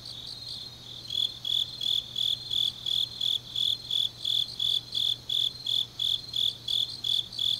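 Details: Grass insects in Changnyeong, Gyeongsangnam-do, on a deep autumn night: after a quiet opening second, bright high chirps start and repeat rhythmically almost three times a second above a fainter buzzing trill.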